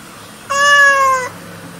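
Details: Domestic cat giving a single loud, drawn-out meow of under a second, steady in pitch with strong harmonics, over quiet indoor background.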